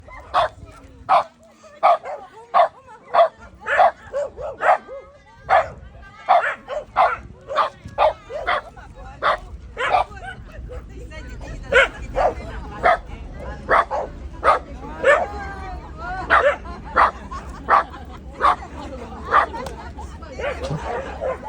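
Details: Shiba Inu dog barking while facing a gorilla: a long run of sharp, short barks repeated roughly once a second, with whining yips and human voices between bursts.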